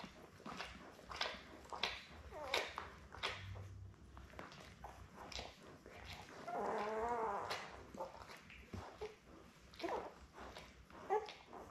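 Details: Newborn Labrador Retriever puppies, seven born May 24, 2021, with their mother Belle on a live puppy cam on June 4, indoors: repeated high squeaky whimpers and short squeals roughly every second, with one longer wavering cry midway.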